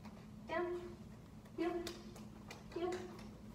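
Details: Baeryn, a 5-month-old Great Pyrenees/Black Shepherd mix, at dog boot camp in Augusta, Georgia, during training. Three short, nasal, tonal whimpers, each with a quick rising onset, come about once every second, with faint room noise.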